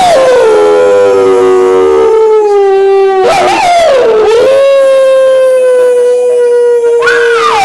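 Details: Hound dog answering wolves with loud, drawn-out howls: a falling opening tone, a brief broken waver in the middle, then a long level howl ending in a short upward lift.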